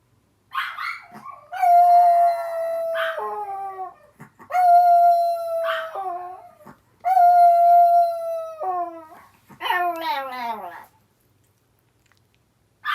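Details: Pet dog at home, an older sister dog, howling in reply to the cries of a younger sister dog: three long, steady, tonal howls of about two seconds each, with short yelping cries before and between, ending in a falling wavering wail.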